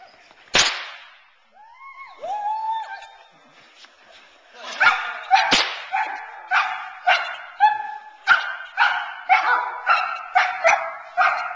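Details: Teal, a 9-month-old Boerboel female, is frustrated off the sleeve during protection training to build intensity and keep her focused on the man. A sharp crack and rising whines lead into a run of barks about twice a second.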